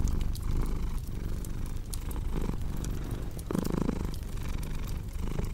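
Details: Cat purring as a dense low rumble with breath-timed swells, a brief louder burst near the end, mixed with popping and crackling fireplace sounds.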